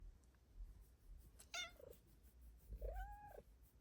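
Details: A Bengal cat meowing in the morning indoors: a short high meow, then a longer rising-falling meow about two seconds later, over a low background hum.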